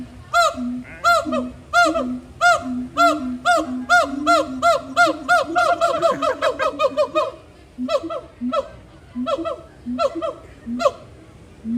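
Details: Captive gibbons at Disney's Animal Kingdom, on September 15th during a long, energetic throat-call session with playful swinging and climbing, trade rhythmic, honking hoots back and forth, speeding up into a quick run before slowing again.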